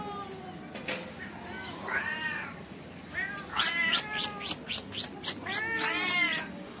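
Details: Street cat with kittens in India around a bowl of cow milk, a mother cat said to be angry with her kittens: several overlapping arched, wavering meows, some short and rapid, with people talking in the background.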